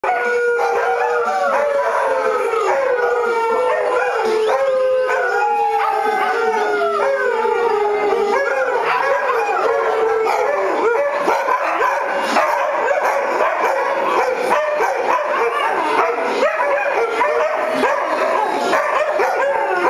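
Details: Several pet Afghan Hounds howling along to a favourite Gwen Stefani song on the radio: long, wavering, overlapping howls that slide slowly downward, sung continuously over loud pop music.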